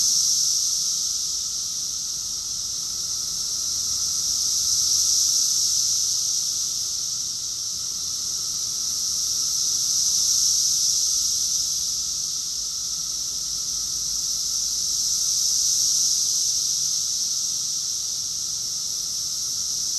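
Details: Cicada chorus recorded in summer, June 2021, in Rockville, Maryland, USA: a dense, continuous high hissing buzz that swells and fades in slow waves about every five seconds, many insects blending into one steady wall of sound.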